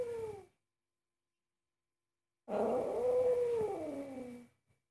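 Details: Indoor cat angered by its owner's cooking gives a drawn-out moaning yowl of about two seconds. It swells, holds a steady pitch, then slides downward, with a brief tail of an earlier cry at the start.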